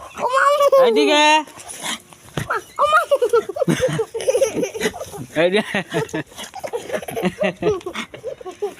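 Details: Voglu, a Desi dog, answers while being called by its owner from far off: a loud, high whining howl with bending harmonic arcs lasting about a second and a half, then a man keeps calling and talking.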